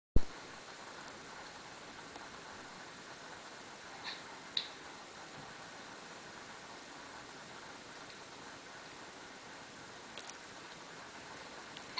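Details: Faint indoor hiss with a few soft clicks and taps, and no animal voice.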